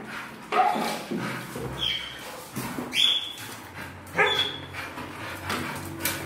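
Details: Pit Bull giving short high yelps and whimpers, several brief sharp rising squeals spaced irregularly over a few seconds, with people talking in Spanish nearby and household background noise.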